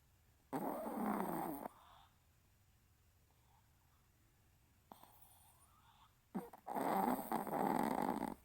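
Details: Maltese named Riru, asleep, snoring on May 15: two long broad rasping breaths about a second each, separated by a quiet pause with faint soft sounds.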